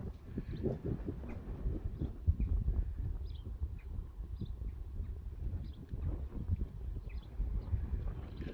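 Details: Young Friesian horses turned out to a meadow that has dried after rain. Their hooves make a run of dull, irregular low thuds on the grass, close together and uneven, with a soft outdoor background.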